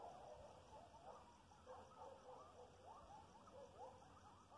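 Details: Coyotes howling about half a mile away, a faint, distant chorus of wavering, rising and falling wails and short yips that overlap throughout, heard through a steady background hiss outdoors.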